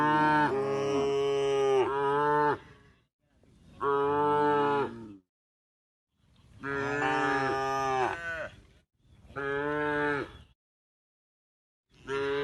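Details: A tame cow resting on a path at the forest edge, on its way to the pen, gives a series of long, deep, rich moos, each lasting about two seconds.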